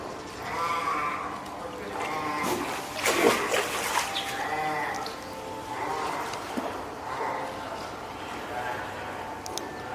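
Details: Female spotted seal pup, born April 19 and reared by hand at Oga Aquarium, 9 May 2017, cries to summon the keeper when hungry or wanting to haul out; loud harmonic bleats repeat every second or two, with splashing water.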